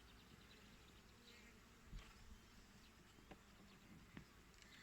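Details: Colony of Italian honey bees, Regine line of Apis mellifera ligustica, at an apiary on 8 April 2020 during a hive check without smoke at about 19 degrees; a dense low continuous hum with brief louder buzzes as bees pass close.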